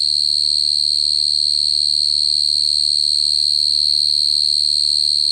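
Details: Cricket singing a steady, unbroken high trill that holds one pitch throughout, with a fainter overtone above it and a low hum underneath.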